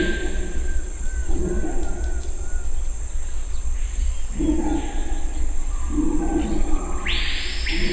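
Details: Red howler monkeys in Suriname roar in deep, rumbling surges, with a steady insect drone high above.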